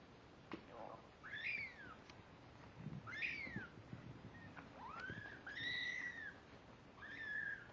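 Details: Domestic kittens 17 days old, born 31 October 2011, giving high, thin mewing calls that rise then fall, about five spaced over eight seconds, with soft bumps and rustling between them.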